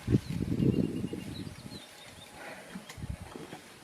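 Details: Mother elephant and infant: a dense, rough burst of low rumbling grunts over the first two seconds, fading into a few softer pulses, with distant birds chirping faintly.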